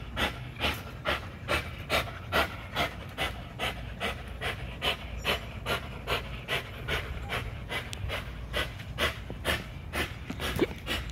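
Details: Heavy rhythmic panting from an XL American Bully pitbull during an extreme spring pole workout at Caona Bullys: fast, even, breathy puffs repeating about twice a second for the whole stretch, with low background rumble.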